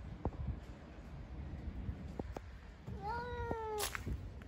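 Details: Street cats fighting outdoors; one short meow with a falling tone lasts under a second, surrounded by low rumbling street noise and scattered clicks.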